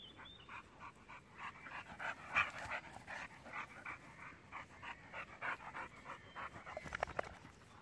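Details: German boxer dog Jack, six years old, romping with a baby pitbull: fast, loud, breathy panting pulses, roughly three per second, with a few sharper yelps near the end.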